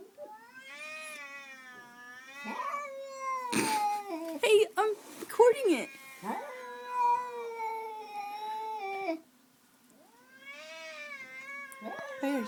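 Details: House cat confronting another cat through a window one morning. Long rising and falling caterwauls stretch over several seconds, with a noisy spitting hiss in the middle. A person speaks over the cries.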